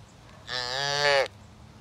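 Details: A young fluffy cow calf gives one short, high, nasal moo lasting under a second, steady then rising slightly in strength before stopping abruptly; quiet background otherwise.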